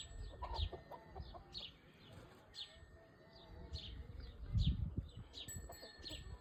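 An orthopteran sings with a steady high-pitched drone and short falling chirps repeated about once a second.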